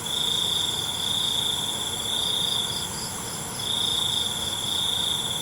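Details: Crickets at night, recorded for relaxing nature sounds: a high, steady, ringing trill in bursts of about a second, broken by short pauses, over a faint shimmering insect background.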